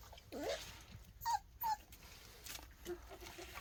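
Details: A young black puppy barks loudly already, giving a few short, high, squeaky yips with brief pauses, before dawn around 4:50 a.m. on 23 January in cold weather.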